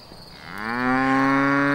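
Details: Cattle on a farm, breeds such as Grauvieh, Braunvieh and Murnau-Werdenfelser Rind: a single loud moo starting low and swelling into a sustained, harmonic-rich bellow.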